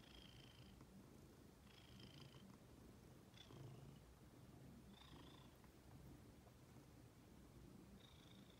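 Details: Female pet cat purring indoors, a steady low rumbling drone with no breaks, accompanied by a faint high-pitched tone that returns roughly every one and a half seconds.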